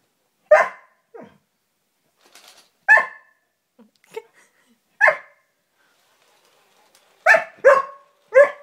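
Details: Border Collie confronting a robot dog barks in scattered single sharp yaps. A quick run of three barks closes the sequence, with soft clicks and shuffling in a quiet indoor space between them.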